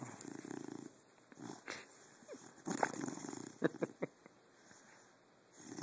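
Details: Pet dog asleep, filmed on a phone in the dark: rough snoring breaths at the start and middle, then a cluster of short, muffled yips and squeaks in its sleep, followed by quiet breathing.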